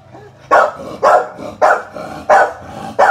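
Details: Barking from Thatcher's mother, an American Bully in the Philippines: five loud, clipped barks spaced roughly every half second, each a broad burst, over a low background hum.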